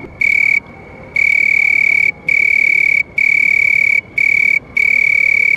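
A house cricket gives steady, high, ringing trills in bursts of about a second with brief pauses.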